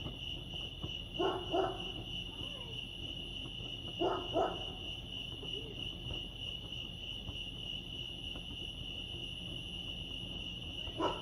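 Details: Crickets chirping at Lake Arrowhead, California, a continuous high pulsing trill, interrupted by paired hoot- or bark-like calls near one, four and eleven seconds.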